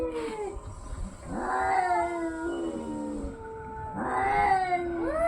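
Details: Domestic cats fighting, drawn-out wavering yowls that rise and fall in pitch, several overlapping voices with long sliding tones, two louder swells of growling caterwaul near the start and end, low rumbling background.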